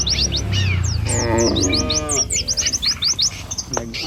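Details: Cows walking in a herd along a rural village road beside rice fields, one drawn-out moo sliding slightly downward in the middle, surrounded by rapid, repeated high bird chirps.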